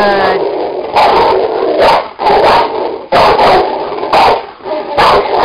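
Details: Two Cane Corsos playing on an indoor springpole, giving rough, broadband growling bursts roughly every second while a woman's voice repeatedly encourages them with praise.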